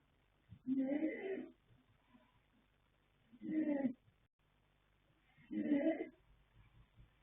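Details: Foal Yanta, a young colt by Fast Force out of Pink Blossom, snoring while asleep: three heavy, raspy, drawn-out breaths spaced a few seconds apart, with faint rustling in the quiet gaps.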